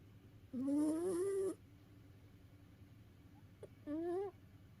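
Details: Domestic cat snoring while asleep, tired out after play: two nasal, whistling snore tones that rise slightly, a longer one of about a second and then a shorter one, with a faint click between them in a quiet room.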